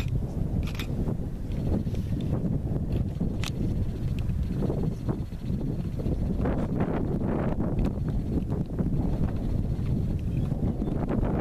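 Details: American bison stampeding in Yellowstone National Park: a dense, continuous low rumble of many pounding hooves with scattered sharp thuds and clicks, under steady wind noise.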